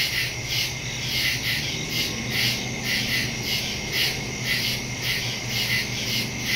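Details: Crickets chirping in the woods at night, recorded September 2, 2023 on a Samsung Galaxy S22 Ultra and Shure MV88+ stereo mic; a thick, regular pulsing of high raspy notes from many insects, with a steady whine beneath.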